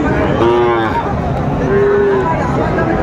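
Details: Cattle at a market in Chattogram, Bangladesh, on 19 December 2024, where Sahiwal bull calves are sold: two drawn-out, low moos, each about half a second long, separated by a pause, with market chatter behind them.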